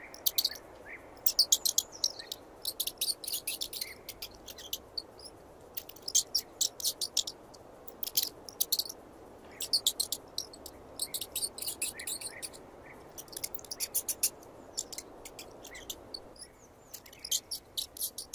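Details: A mouse gives rapid trains of thin, shrill squeaks and ticks, grouped into bursts of several at a time with brief quiet spells in between; recorded in 8D audio over a light hiss.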